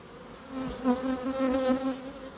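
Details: A single bee buzzing close by in a small wildlife garden in Crookes, a loud clear wingbeat tone with rich harmonics, wavering in pitch and swelling as it moves nearer, over a quiet background.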